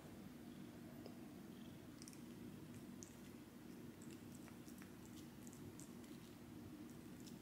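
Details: Indoor cat from a family of rescued feral cats purring while offered an icy summer popsicle; low steady rumble with scattered licking clicks.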